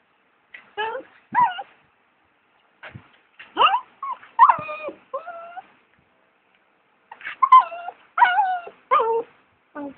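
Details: A female dog at 1 am indoors, sitting beside her owner who is packing for a one-day trip, crying and whining: loud wavering high whines and yelping cries in bursts, some rising then falling, with gaps of silence between.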